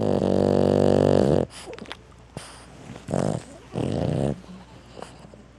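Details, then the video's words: Sleeping dog snoring: a long, loud, buzzy rattling snore lasting over a second, then two shorter throaty snores close together after a quiet pause, with faint room noise between them. "Sweet Cute Dogs and Puppies Lovely Sleeping and Snoring Moments"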